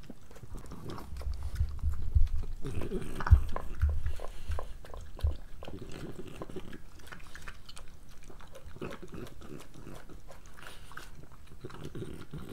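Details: Pregnant French Bulldog named Moolah eating her breakfast indoors; wet, irregular chewing and lapping clicks with low snuffling bursts, louder in the first five seconds, then steady softer munching.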